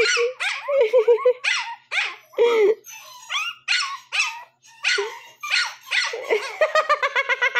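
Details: A one-month-seven-day-old Shih Tzu puppy yelps in its early barking: squeaky high yips and short whines in uneven bursts, ending in a quick string of sharp repeated yips.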